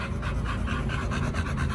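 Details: Rapid rhythmic panting from dogs Oliang and Nomyen at a dog hotel, just before their raw picnic meal of chicken and pork; steady breathy pulses with a low background rumble.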